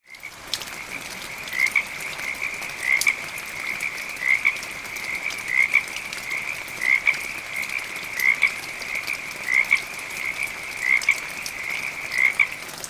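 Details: Frogs give short, high, clicking croaks in steady pairs, repeated every second or so over a trilling chorus, amid medium rain and gentle thunder.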